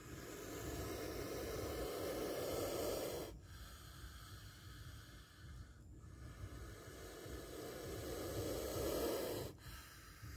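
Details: Two long, forceful exhaled hisses from a spectacled cobra about to strike, each swelling over several seconds before ending abruptly, with a softer breathy lull between them.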